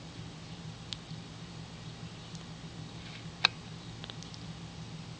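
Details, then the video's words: Cat purring while rolling around and yawning: a soft, steady low rumble pulsing evenly throughout, with a few faint clicks and one sharp tap. "Purring Rolling around and Yawning"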